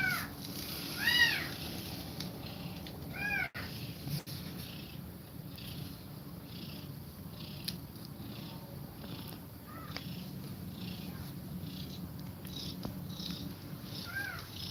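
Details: Domestic cat mother feeding milk to her kittens and breathing fast. Faint, thin arched mews come at scattered moments over a steady low rumble. Soft rhythmic breathing pulses repeat through the recording.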